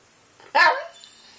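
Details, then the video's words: Indoor Yorkshire Terrier, a pet trying to get a rabbit to play, lets out one sharp, bright bark in a small room, just after its owner tells it to be quiet. "Yorkie plays with bunny."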